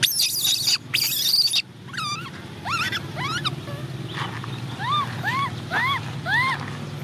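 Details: Orphan baby macaque Cola cries wanting to ride a bike; loud clattering noise first, then repeated high arching whimpers, some with sharp upward sweeps, coming about every half second over a low hum.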